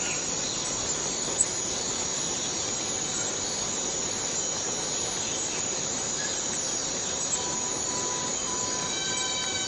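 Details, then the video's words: Cicadas in a forest fill the air with an unbroken, shrill, even buzz; a few faint tonal notes slip in below near the end. "Forest Cicadas Free Sound effect"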